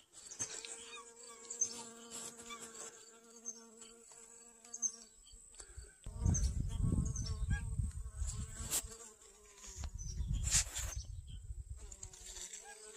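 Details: Garden honey bee working sunflowers for pollen, August 25th 2021; a steady low hum with clear overtones for the first six seconds, after which bursts of wind rumble take over, with faint high chirps above.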